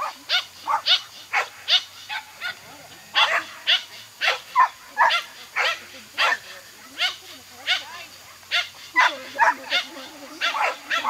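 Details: Toy Poodle on an agility course, yapping excitedly as it runs: short, sharp, high barks fired in quick bursts of two or three, about twenty across the stretch, with faint voices and arena noise underneath.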